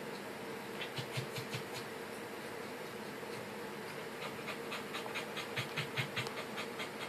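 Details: Rapid, fairly even panting from Pembroke Welsh Corgi puppies: light breathy puffs repeated more than twice a second through most of the recording, quiet against a low steady hum.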